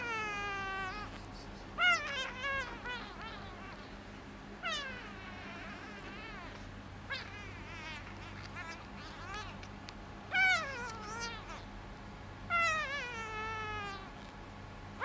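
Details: A bottle-fed rescued calico kitten utters scattered high, wavering meows. Some are short and clipped, others longer and falling, spaced irregularly over a quiet indoor background with a faint steady hum.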